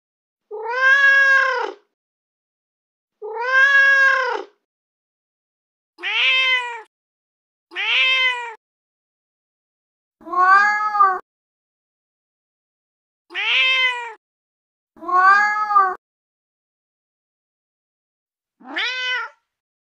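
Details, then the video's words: Domestic cat meowing, sounds meant to attract cats: eight separate harmonic meows over twenty seconds, arched in pitch, spaced by silent gaps of one to two seconds, the last one short and rising; no other sounds. "cat sounds to attract cats / sounds to attract cats / cat sound"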